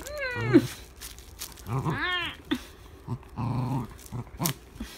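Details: Indoor dachshund Eoreumi, lifting rump and neck in a stretching 'pilates' posture, lets out two rising-then-falling squealed whines followed by several short low grunting huffs and soft rustles.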